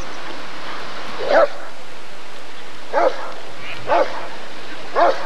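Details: Rottweiler at the 1994 ADRK Körung giving four low, clipped barks about one second apart after a quiet opening, with faint background noise.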